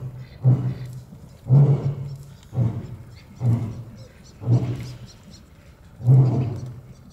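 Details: Barbary lion kept at Olomouc Zoo, Czech Republic, ending a roar with six deep, guttural grunts spaced about a second apart, each sharp at the start and quickly fading.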